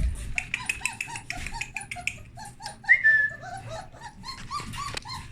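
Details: Young puppies let out of a whelping box after the blankets were changed, exploring: a rapid string of short, high squeaky whimpers, several each second from more than one pup, with occasional louder yelps and a person's voice nearby.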